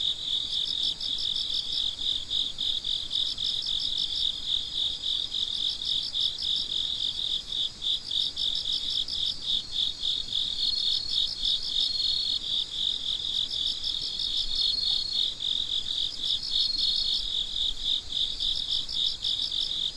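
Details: Night-time crickets heard at midnight, many calling at once: unbroken high trilling chirps, an upper layer pulsing in groups of quick beats that come and go, steady loudness across the whole stretch.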